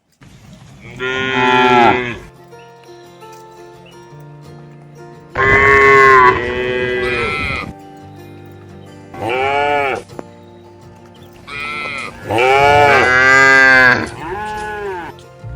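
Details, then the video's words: Cattle herd walking toward a livestock pen in a rural setting. Four loud, drawn-out moos of one to two seconds each, rising then falling, over steady background music tones. "Suara Sapi Moo"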